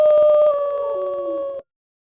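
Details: Wolf howling with one loud, sustained, steady tone that drifts slightly lower, joined by a fainter second falling voice, then ending abruptly.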